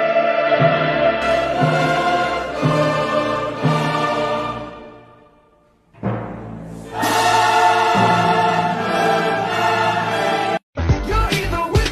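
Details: Dramatic orchestral music with choir and timpani swells, fades to near silence, then returns loudly before a brief cut.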